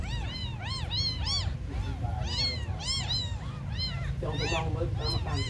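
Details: Abandoned kittens crying in a run of short, high, bow-shaped meows, often in clusters of two or three, with brief murmured sounds near the end and a continuous low background hum.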